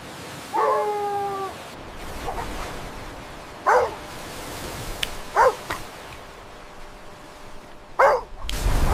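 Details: Puppies romping and play-fighting on fresh grass: a brief tonal whine early on, then three separate short, sharp yips a second or two apart amid quiet background noise.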